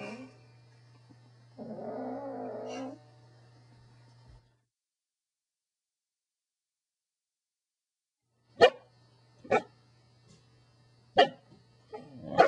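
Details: A pet Corgi makes a rough, throaty grumble, then after a pause gives several short, sharp barks at irregular intervals, with a steady low hum underneath.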